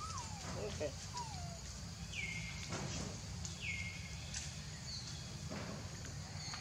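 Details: Baby monkey Leo crying to beg its mother for milk: thin whistled cries sliding downward, two lower ones early, then two higher drawn-out ones near the second and fourth seconds, over steady low rumbling background noise.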